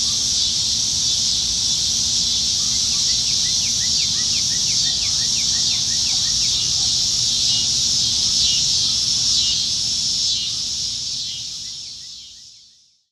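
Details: Nebraska cicada chorus in summer-evening trees, July 2019: continuous, intense high-pitched buzz with a quick run of small repeated chirps early on, steady for most of the stretch before fading away to silence at the end.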